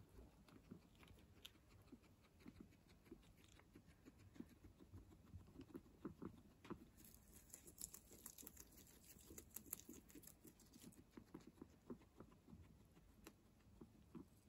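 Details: Fresh herbs being eaten by guinea pigs, a continuous fine crunching and nibbling, crisp clicks scattered throughout, some brief rustling of leaves midway, quiet indoor setting.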